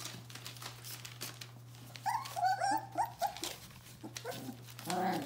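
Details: Bohemian Shepherd pups of the F litter, four weeks old, whimpering indoors: a cluster of quick wavering whines in the middle and a longer whine at the close, over a steady low electrical hum.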